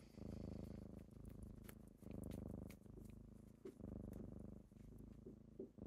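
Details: Deep, strong purring from kittens rousing their owner in the morning; the low rumble rises and falls in roughly one-second breathing cycles, with light tapping noises scattered through.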